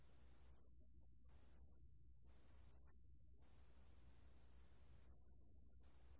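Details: Pale bell cricket, from a 2020 National Institute of Biological Resources recording, giving high tinkling trill bursts at an uneven pace, with longer gaps and a brief fragment between phrases, over soft background rumble.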